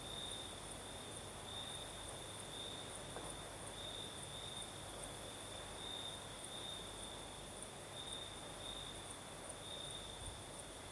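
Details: Crimean crickets singing at night in the south, with a night breeze: a persistent piercing trill with evenly spaced louder pulses and a thin upper shimmer over a continuous rush of wind.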